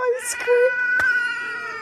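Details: Pet cat giving a drawn-out, tonal meow that holds steady then wavers slightly, with a brief higher squeak early on and a sharp click near the middle; quiet indoor room.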